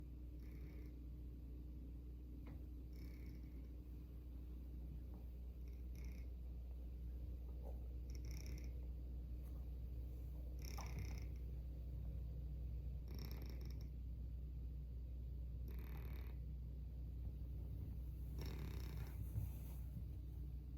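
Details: Sleeping domestic cat snoring loudly indoors: low rumbling breaths with soft broadband hisses recurring roughly every two and a half seconds over a steady low hum.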